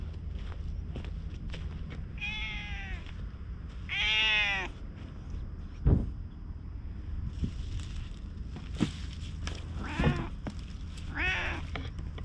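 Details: Friendly milk-tea coloured stray cat watching over a lighthouse, recorded on a GoPro HERO8: four drawn-out, rising-then-falling meows spaced a couple of seconds apart over a steady low rumble, with scattered clicks and taps.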